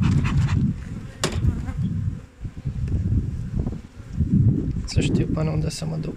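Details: Hive bees in New Zealand, 20 August 2021, at a colony with a wingless queen: a deep, steady hum rising and dipping in waves, with a faint tonal drone late on and occasional sharp clicks.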